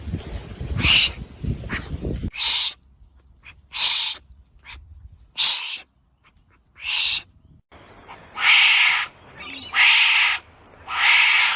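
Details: Wombat giving harsh, breathy hissing bursts, each about half a second long, repeated roughly every one to one and a half seconds. A rougher, noisier passage comes first, and the later bursts grow louder and fuller.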